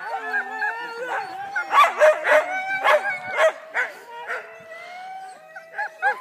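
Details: Excited huskies preparing for mushing in Wardsboro, Vermont: rapid, eager barking several times a second over a steady background of wavering howls and whines from the pack.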